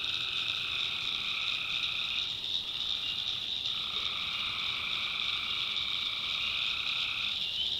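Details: A swamp in the North Carolina backwoods at night, tree frogs filling it with a steady, massed high-pitched chorus; one lower calling layer falters for a moment midway, then resumes.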